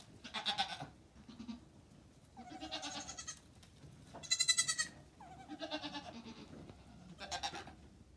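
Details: High-pitched, shrill goat bleats on a farm, five quavering cries roughly one to one and a half seconds apart, the middle one loudest and brightest, with faint low rustling between calls.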